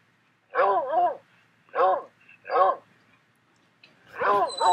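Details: Recorded dog barking played to a puppy indoors: four tonal, arched barks spaced roughly a second apart, the last one doubled, with quiet gaps between.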